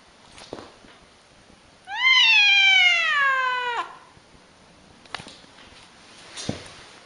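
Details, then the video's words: Angry domestic cat giving one drawn-out, strained yowl about two seconds long that slides steadily downward in pitch, with a few soft knocks and clicks before and after in an otherwise quiet room. "Crazy angry cats"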